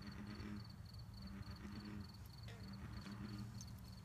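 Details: American bullfrogs at a pond give low, resonant droning notes that swell and fade in a slow rhythm, while a thin, evenly pulsed insect chirping runs steadily over the top.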